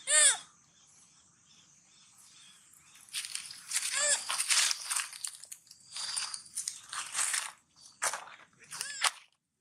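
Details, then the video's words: Baby monkey Sweetpea, hungry and crying while looking for its mother, gives high arched harmonic cries at the start, middle and end, between stretches of loud crunching and chewing as it eats watermelon. "Original sound monkey Sweetpea! Poor SP make sound so sad looking for mom-SP hungry"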